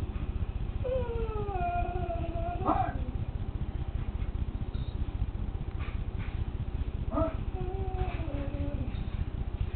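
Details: Female Springer Spaniel crying in front of a TV hunting show, giving drawn-out whines that fall gradually in pitch, one early and one later, with quieter sounds between and a constant low background hum.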